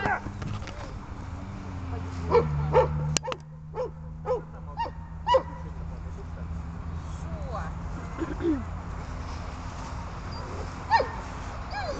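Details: Glemmy, a dog, at the start of training to bark at game, gives short sharp barks in a loose burst around the middle, over a steady low rumble and background noise.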